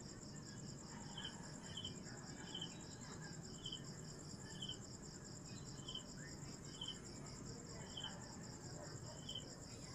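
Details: Kuliglig, or cicada, buzzing in a steady high pulsed drone, with short chirps from another caller repeating roughly every second over a constant low rumble.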